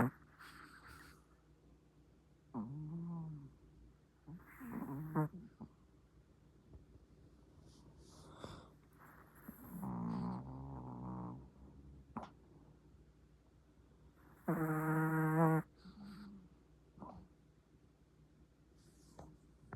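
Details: Sleeping pet Chihuahua snoring: soft, irregular snorts and wavering nasal squeaks spaced a few seconds apart, with one louder, drawn-out honking breath around the fifteen-second mark, in a quiet room.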